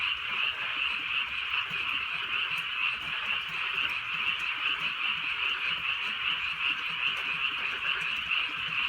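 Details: Many frogs croaking in a Korean countryside night under light rain, rapid overlapping calls forming a constant dense chorus, over two pulses per second, steady rain patter behind.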